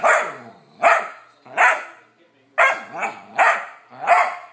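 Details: Bored 14-week-old male Vizsla puppy demanding attention when ignored, giving seven short, sharp, harsh barks in an uneven series about every 0.7 seconds, with brief silent gaps between bursts.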